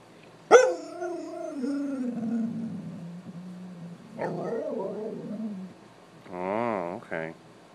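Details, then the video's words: Red Siberian husky, a female pet upset because it is too hot to go outside, gives a sharp onset then a long wavering, falling howl-like vocal grumble, followed by a broken muttering phrase and a woman's voice near the end. "Red Siberian husky talking"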